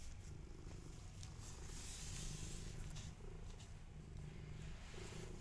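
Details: Domestic mother cat with her kittens, said to be jealous of them, purring in a continuous low, pulsing rumble that swells slightly midway, with soft rustling above it.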